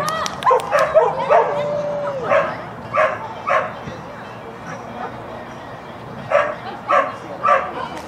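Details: Schapendoes dog Rover barking during a clean agility run that placed sixth in Stavanger, May 1, 2016; short sharp barks repeat roughly every half second in bursts, with a falling tonal sound and background voices.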